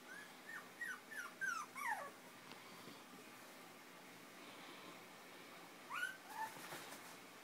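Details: Five-week-old Chinese Crested puppies playing and nursing beside their mother, fostered by Almost Home No Kill Animal Rescue; a quick string of squeaky, falling yips and whines, a pause of several seconds, then a few more rising squeals, with faint rustling.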